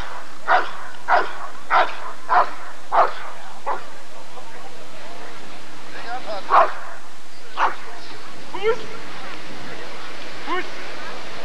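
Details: At the 1994 ADRK Körung, a Rottweiler fires off five quick barks in a regular series. A few scattered barks follow, mixed with human speech and general crowd noise.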